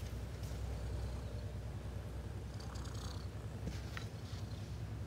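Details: A cat's low, even purr drones on throughout, a fast pulsing rumble, with brief soft rustling and a sharp little click near the end.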